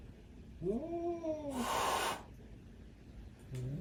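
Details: A domestic cat gives a drawn-out, wavering yowl, then a sharp, breathy hiss. The hiss signals fear or anger: the cat feels threatened but is ready to attack if needed.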